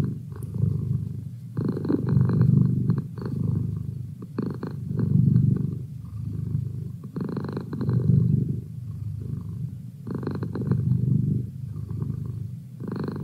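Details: Deep, continuous purring from Merlin, a domestic cat kept as a study companion, with rhythmic rises and falls of the low rumble about every two and a half seconds, inhale and exhale phases clearly alternating.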